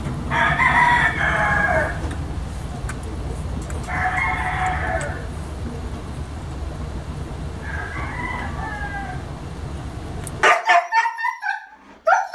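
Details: Siberian Husky vocalizing in three loud, harmonic bursts of about one second each, spaced roughly every three to four seconds, over steady background hum; the recording then cuts to sharp clattering noises.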